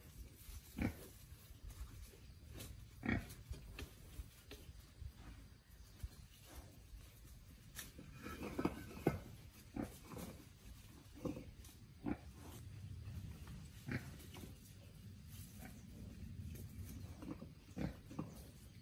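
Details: Released young wild boar learning to forage, grunting repeatedly in short, low, husky bursts every second or two, with a cluster of louder grunts midway, over constant rustling and snapping of vegetation.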